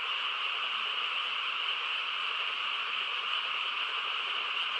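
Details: Frogs in chorus on a quiet countryside night, their many voices merging into one dense, unbroken drone with a bright trilling shimmer, steady in loudness from start to end, with no pauses and no other clear sounds.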